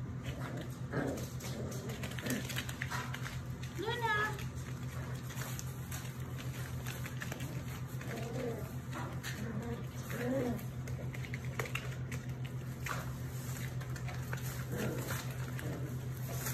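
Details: German Shepherd, Labrador and Rottweiler mix puppies whimpering with wavering high whines and a few short yelps, spaced several seconds apart, beneath a low hum and a person talking.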